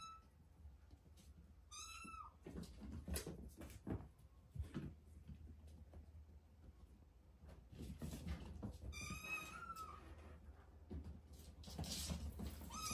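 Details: Cat giving two high meows about seven seconds apart, each short with a falling tail, amid steady low rumbling noise and scattered knocks and clicks.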